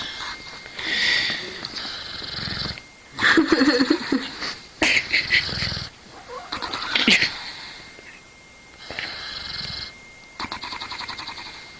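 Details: Snoring from a sleeping dog: breathy, hissing inhales and rattling exhales come roughly every two to three seconds, separated by short quiet gaps.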